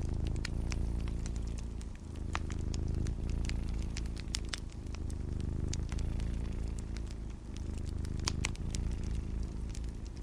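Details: Purring cat, a continuous low throbbing drone with short dips near two and seven seconds, probably breaths, under frequent crisp fireplace crackles and snaps.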